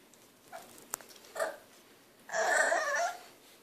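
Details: Three-month-old French Bulldog puppy growing impatient for a hand brush: two faint short whimpers, then a louder harsh, noisy yelp lasting under a second, in a small room.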